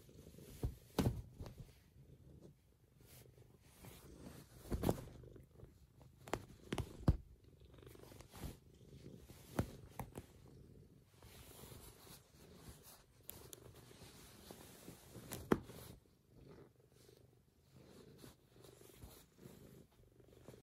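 A Maine Coon cat purrs steadily and deeply to wake its owners, with soft thumps and rustles.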